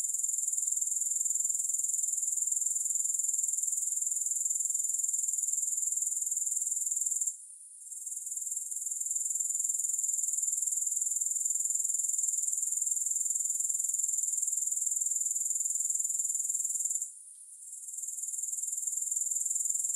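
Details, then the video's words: Grasshoppers keep up a piercing, evenly pulsed high buzz that twice cuts out for about a second, then fades back in at full strength; no music. "Grass Hopper Sounds"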